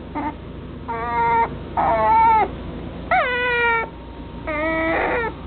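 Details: Whining male long-haired dachshund puppy, chocolate dapple coat, kennel-raised: five drawn-out plaintive cries in quick succession, level or bending downward, crying almost without pause against faint steady background noise.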